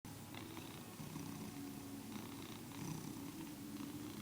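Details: Domestic cat purring and cackling, something never seen before from him; steady low rumbling purr throughout with faint higher chattering flecks, indoors.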